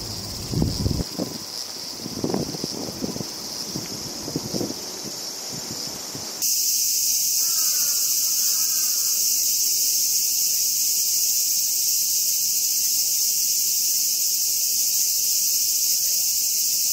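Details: A robust cicada (Hyalessa maculaticollis, minmin) sings a loud, continuous high buzz that starts abruptly and holds steady, filmed close up while feeding.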